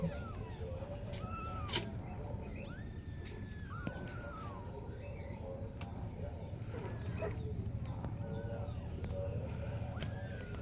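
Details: Kitten mewing in thin, arched cries that rise and fall, repeated irregularly every second or so, over a steady loud low rumble with occasional clicks.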